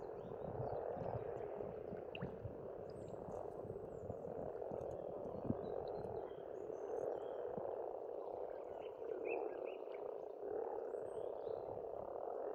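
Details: Spring pond in rural Estonia with a continuous croaking frog chorus filling the background, while distant birds add brief whistles and chirps, one clear pair of high notes near the end.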